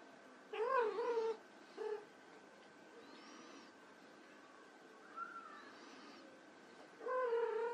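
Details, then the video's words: Playing white Persian kittens mewing: a strong arched meow, a brief short one, faint high squeaks, then a sustained meow at the close, with a constant low hum behind. "White Persian Kittens Playing"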